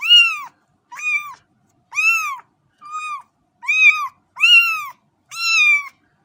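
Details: A cat gives seven clear, evenly spaced meows over about six seconds, each a short arched tone with bright overtones, some flatter and shorter than others, in a quiet setting.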